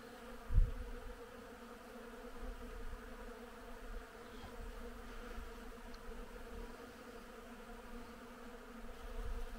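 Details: Bees foraging on willow in bloom in spring make a constant humming drone with stacked steady tones, broken by one sharp low knock early on and faint low rumbles.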